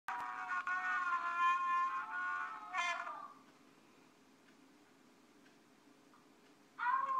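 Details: Alaskan Malamute howling along with a four-year-old boy, long wavering harmonic howls rising and falling over about three seconds, then a pause and another howl beginning at the end; faint steady hum beneath.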